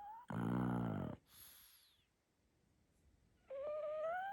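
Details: Little female pug puppy asleep, letting out one dense, rasping snore of almost a second, followed after a pause by a steady, slowly rising whimpering whine.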